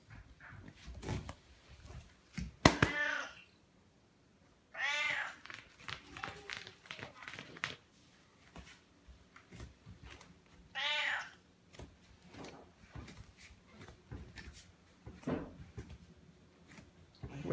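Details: Siamese cat asking to be petted gives three clear, arched meows a few seconds apart, amid rustling, soft thumps and a little indoor handling noise.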